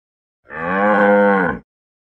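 A Jersey cow gives a single steady moo, rich in harmonics, lasting about a second.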